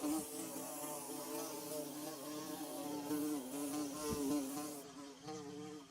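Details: Close, loud droning of bees at work on their nest, a rich buzzing hum whose pitch wobbles and briefly dips, with a soft knock near the end and the sound fading out at the close.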